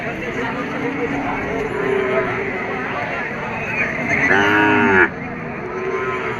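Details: Cattle at a busy cattle market in Bangladesh, lowing among the crowd: one loud, harmonic moo of under a second near the end, with softer overlapping moos and steady market chatter throughout.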